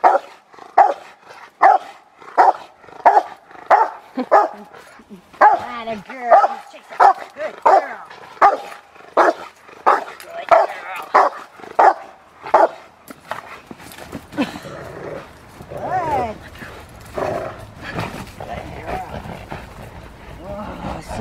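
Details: Rottweiler named Fire v LordsNLadies in schutzhund (IGP) protection training, giving a steady run of loud, punchy barks at roughly one to one and a half per second, later fading into handling noise and rustling.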